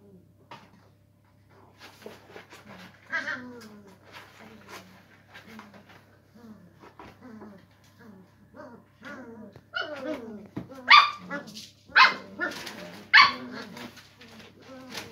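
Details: English Springer Spaniel puppies at play with a cardboard box indoors: soft scattered whimpers and whines build into louder, sharp high-pitched yelps clustered near the end, with a faint low hum beneath.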